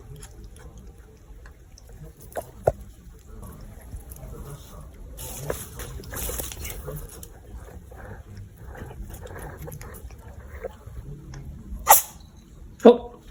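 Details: Siberian cat indoors sneezing after pawing, biting and licking a spider plant: two sharp, explosive bursts close together near the end, over quiet room noise with faint rustling and a little speech.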